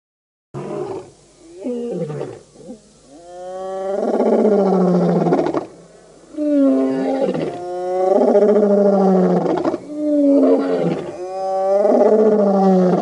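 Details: Wild male lion coalition known as the Birmingham Boys roaring at a dam in Djuma Game Reserve, Sabi Sand, Kruger area, South Africa, August 2016; a series of deep, drawn-out moaning roars rising in strength, with short grunts between.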